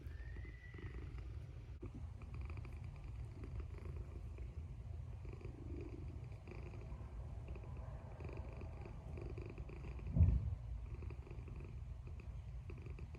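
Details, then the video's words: A sleeping cat snoring in a low, continuous rumble that pulses steadily throughout, with a soft brief higher sound near the start and a short louder bump about ten seconds in. "Snoring Cat"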